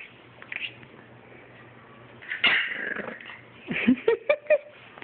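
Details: Two French Bulldogs, one a 9-week-old puppy, squabble: grumbling, then a burst of rough, whiny yelps.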